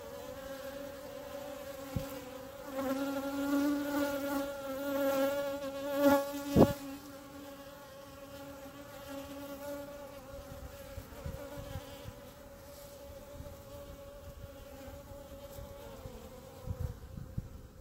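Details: A clump of honey bees on the grass before the hives, heard close up: a loud, even buzzing tone rich in overtones, with a few sharp clicks and a brief louder burst near the middle.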